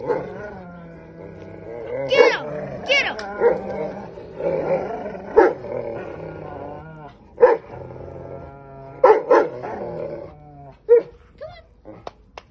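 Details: Two dogs playing, Buddy, a three-year-old English mastiff, and Max, a nine-month-old Belgian malinois, in a mock fight. Sharp barks and growls burst out irregularly over steady background music, with a person shouting encouragement.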